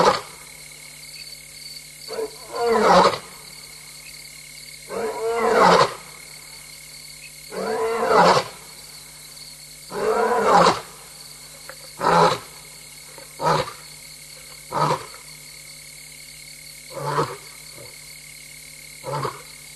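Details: Female lion, restless and alone, roaring at 3:15 AM on 26 August 2022 at Tembe Elephant Park, recorded by a live camera; long moaning roars give way to shorter, fading grunts, about ten bursts in twenty seconds, over a constant tonal hum.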